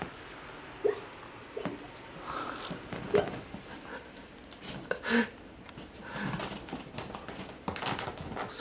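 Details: A female dilute calico Maine Coon kitten, born 4 November, gives short, abrupt "pan!" cries while excited during play, with people talking nearby.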